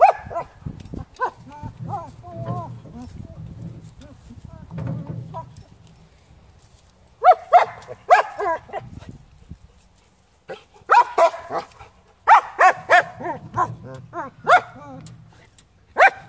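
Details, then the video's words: German Shepherd barking at wheeled objects, including a garden tractor. Human speech opens the recording, followed by bursts of sharp barks in irregular runs of two to four, mixed with low background rumble. "German shepherd hates wheels.. moving or not."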